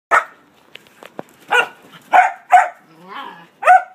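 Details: Golden Retriever/Cocker Spaniel mix dog, a rescue up for adoption in Houston, Texas, giving a run of short barks and yips, about six bursts in four seconds, with some clicks and handling noise between them.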